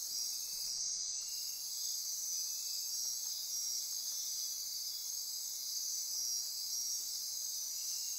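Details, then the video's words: After dark in the Osa Peninsula forest near Corcovado National Park, Costa Rica, a thick wall of high insect trilling and buzzing runs on steadily; one upper band briefly drops out near the first second. "Midnight Insect Chorus"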